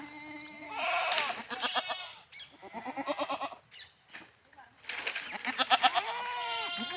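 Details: Goats bleating repeatedly with strongly pulsed, quavering calls in several bursts separated by short pauses. Some bleats are loud and harsh, others softer and tonal.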